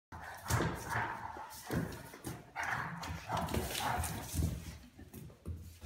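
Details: Weimaraners at play, a young one pestering a patient older dog until it gets mad: short, husky barks and rumbling growls in irregular bursts about every second.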